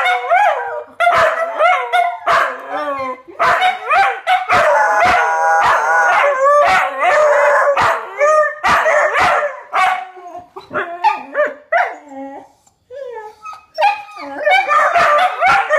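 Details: Four dogs answer a fire truck going by with a group howl, their wavering overlapping voices mixed with rapid barks and yips roughly every second or so, a siren-like steady tone briefly audible, fading toward a quieter end.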